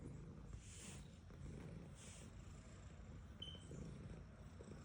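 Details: Domestic cat, female, purring as she is petted: a continuous deep, throbbing rumble with brief soft brushing swishes from the stroking hand and a short high squeak near the end.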